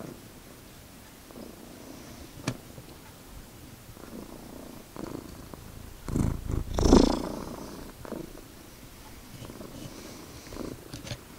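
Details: Pet cat named Magic, indoors, purring steadily: a low rumbling throb pulsing about four times a second, with a louder swell of breathy rumble near the middle and a few soft clicks.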